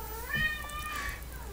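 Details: A domestic cat meowing indoors near its owner during a recording: one drawn-out tonal meow that rises, holds, then slowly falls over about a second, over a steady low hum.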